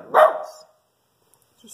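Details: Single abrupt bark from a Shih Tzu guarding the house from a squirrel outside, then silence before a faint rustle.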